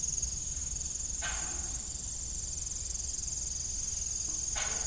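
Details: Crickets chirping in the evening beside an old rusty farm windmill: a steady, shrill high trill pulsing continuously, with two brief harmonic creaks cutting through.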